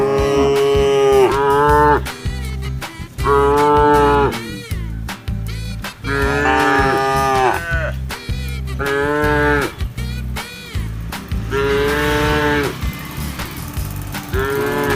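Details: A group of tame cows and calves moo in turn, each a long, drawn, nasal harmonic tone swelling and falling over one to two seconds, over a thumping music track.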